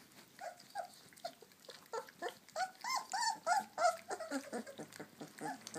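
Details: Puppies at lunchtime give a run of short, squeaky, voiced growl-whines, about three a second, swelling louder in the middle and easing off, over soft clicking and chewing noises.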